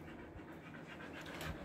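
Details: Trimmed Siberian Husky in Kolkata's summer heat, India; soft rapid panting with one louder breathy burst near the end, set against constant background noise.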